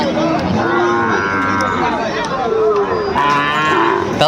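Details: At a livestock market in Gazipur, Bangladesh, on 28 December 2024, where Sahiwal bull calves are bought: a long, even moo followed by a second shorter lowing call, with a busy background of people talking.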